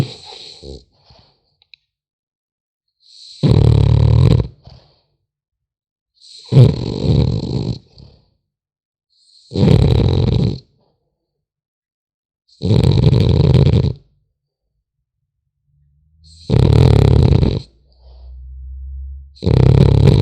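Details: Snoring French Bulldog puppy deep in sleep, producing six coarse, low, rattling snores at regular intervals of about three seconds, each lasting around a second, in a silent indoor setting.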